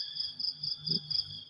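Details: Morning chorus of crickets: a continuous high, pulsing shrill trill with regular louder beats, over soft low-pitched background sounds and a short low murmur midway.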